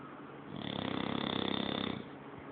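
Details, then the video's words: Sleeping English Bulldog snoring: one long, rough, rattling breath that swells in over half a second, vibrates steadily for about a second and a half, then fades, in a quiet small room. "bulldog ingles roncando de lo lindo"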